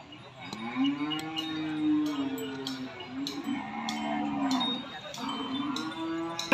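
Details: Market cattle at Nong Na Hai cattle and buffalo market, Udon Thani province, Thailand, 22 January 2022, lowing repeatedly: several long, steady moos follow one another, each swelling then fading, with sharp clicks and knocks in the background.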